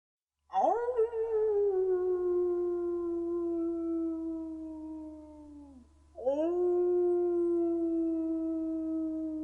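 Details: Gray wolf (Canis lupus), howl.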